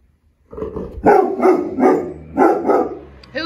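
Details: Rottweiler Shepherd mix reunited with its owners: repeated excited vocal bursts roughly every half second, mixed with people's voices.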